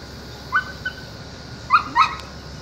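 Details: An intact male border collie, interested in a woman, lets out a thin yelp, then a softer one, then after a pause two sharper squeaky yips close together over a quiet hum.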